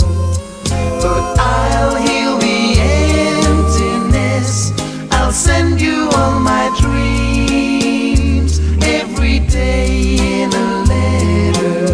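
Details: Loud choral music with layered singing voices over a steady bass line throughout.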